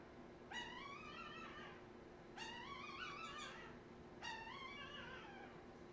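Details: Australian Terrier puppies from Redwing, 2018, giving three drawn-out, high whining cries about every two seconds, each rising then falling with stacked harmonics, over a steady low indoor hum.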